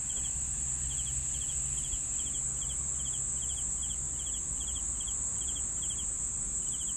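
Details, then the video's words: Crickets giving rhythmic pulsed chirps, softer at first and then regular about every 0.4 seconds, over an unbroken high-pitched drone and a low humming background. "CRICKETS SOUNDS"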